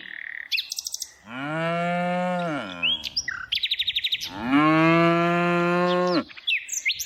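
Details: Two long, drawn-out moos from tame cows during afternoon herding, each rising at the onset, holding a level low tone, then sliding down at the end, with bright bird chirps and trills between and over them.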